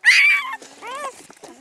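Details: Newborn Great Pyredane puppy from a spring 2016 litter, sired by a blue Great Dane out of a livestock-guardian dam, gives a high, piercing squeal that rises then holds. A shorter, lower whine follows before the squeal fades.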